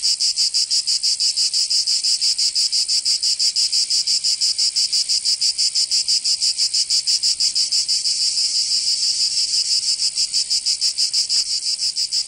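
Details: Summer chorus of cicadas in Provence, France: sustained piercing buzz with fast regular throbbing near three beats per second, holding steady for twelve seconds with only a faint click near the end.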